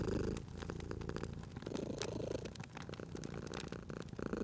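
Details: Cat purring by a crackling fire indoors: a steady, deep vibrating rumble rising and falling with each breath, several swells within a few seconds, overlaid by frequent snapping and popping fire crackles.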